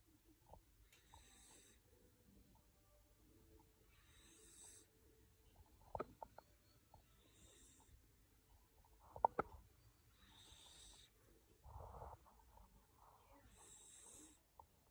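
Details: Red fox-coloured Labrador Retriever puppy named Breu, 12 to 13 weeks old, sleeping and dreaming indoors: soft, airy, hissing snore breaths repeat roughly every three seconds, with a few faint clicks and thumps between them.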